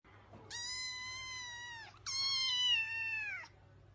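Two long, high kitten meows, each sliding slightly downward at the end.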